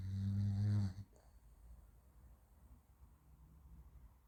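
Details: French Bulldog named Raf asleep, snoring while running in his sleep: one loud, low rattling snore for about a second, then quiet, soft breathing.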